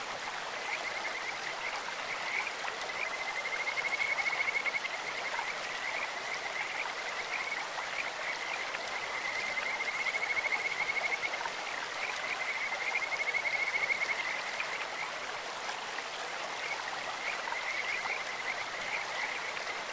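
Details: Several Kajika frogs croaking in a stream, sweet high trilled phrases rising out of the water noise in bursts around four, ten and thirteen seconds, with fainter trilling in between and steady flowing water throughout.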